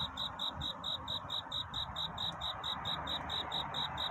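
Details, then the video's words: Cricket singing at night to court a mate, a steady stream of short high chirps about two per second, each evenly spaced, over a soft broad hiss in the background. "귀뚜라미 울음소리. 슬퍼 말아요 우는 것이 아니라 사랑을 찾는 노래랍니다"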